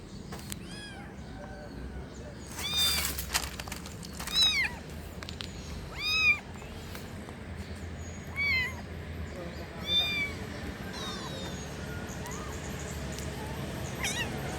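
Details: Kitten giving thin, high mews in irregular bursts, several brief arched calls scattered through the recording, with handling knocks and a steady low background rumble.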